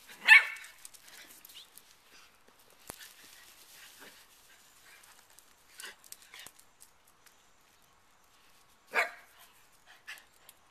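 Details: Italian Greyhounds chasing each other give two sharp, high yipping barks about eight seconds apart, with quiet paw patter, scuffling, faint clicks and shuffles between.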